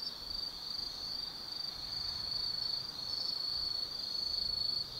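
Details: Autumn insects calling at night in the forest of Tsukimi no Mori, Kaizu, Gifu Prefecture, Japan, overlooking the Nōbi Plain from 180 m: a steady high-pitched ringing trill, continuous with slight swells in loudness, over faint background hiss.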